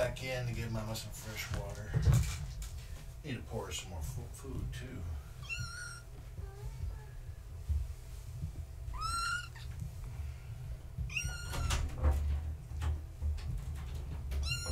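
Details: Gaia's kittens, born March 14, 2017, at bedtime, one trying to climb over a fence: human talking at first, then a series of high, sharply falling kitten mews in the second half.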